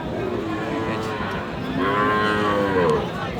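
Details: Sahiwal bull calves at Aftabganj cattle market, Dinajpur, on 31 March: a drawn-out, rich harmonic moo swells in the second half and wavers slightly in pitch over a steady murmur of market crowd noise.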